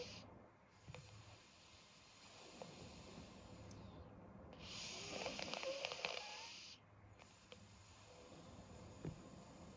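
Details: Meat, a 12-year-old black pug, snoring in his sleep with a blocked nose: a broad, hissing snore swells for about two seconds mid-clip over softer, rough breathing and a steady low hum.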